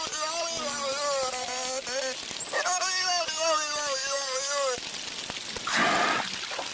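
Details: A captive beluga, recorded by hydrophone during tank cleaning, mimics the pitch, cadence, rhythm and tempo of human speech with tonal, voice-like phrases unlike any wild beluga, then ends with a short blow.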